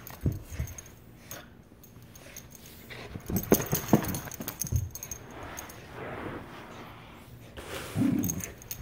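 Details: Maisy, an Aussiedoodle, mad at her toy during play, gives short low growling bursts around the middle and a final louder rumble, mixed with chewing and shuffling sounds.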